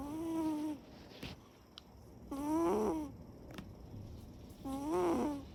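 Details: Chiro, a Siberian cat, snoring while asleep with eyes open: three nasal, tonal snores about every 2.3 seconds, each with a wavering, slightly rising pitch, quiet breathing between them.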